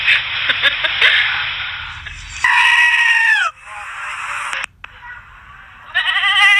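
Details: Goats bleat loudly and insistently, calling out one after another while begging for popcorn.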